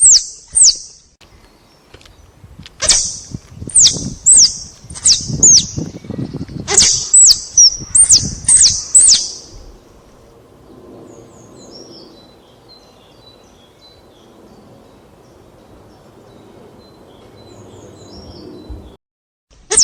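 A squirrel gives a quick run of sharp, high, scratchy chucks, then falls quiet.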